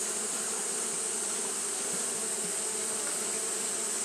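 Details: Steady droning of Japanese honey bees fanning in the heat, a buzzy hum with layered tones and a bright hiss on top, level and continuous.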